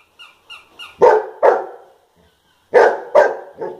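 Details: Bubbles, a pet Golden Retriever, barks at a Hamleys toy: three soft tonal toy notes, then two loud barks, a pause, and three more barks tapering off.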